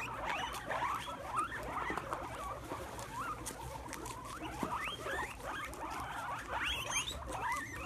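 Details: Guinea pigs crowding around sprouts on the ground, squealing with glee as they eat: a busy run of short, upward-sliding squeaks, several animals overlapping, above soft munching and shuffling.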